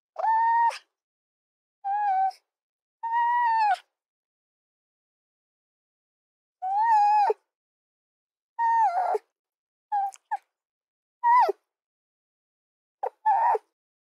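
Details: Fox yelps: about ten short tonal calls, some level and others falling at the end, uttered singly or in quick pairs with irregular pauses, against a silent background.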